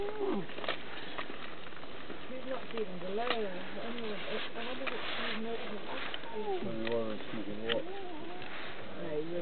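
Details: An African wild dog pack feeding on and dismembering a kudu kill chatters with high, bird-like squeaks and twitters, several voices overlapping in quick arching notes.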